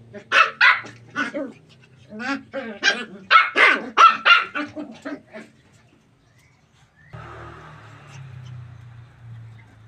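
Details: Puppies playing in a tight space, running and jumping, give a burst of high, sharp yapping barks in quick irregular clusters over about six seconds, then fall quiet, followed by a low steady hum of background noise.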